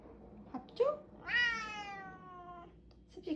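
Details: Pet cat indoors asking for food after already eating wet food; a couple of short chirps followed by one long, clear, slightly falling meow of about a second, in a quiet room.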